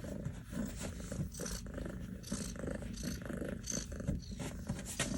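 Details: Kitten, Kiwi's sister, safely indoors after being lost 10 days following a snowstorm, purring steadily while being petted; a continuous low rumbling purr with soft rustling and handling noises over it.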